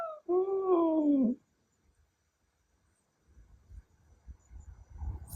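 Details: Ragdoll cat Milky, a male born May 2021, gives a wolf-like howl when its meow is imitated and it grows angry: one drawn-out tonal wail with clear harmonics, rising slightly then falling, about one second long, followed by faint rustling.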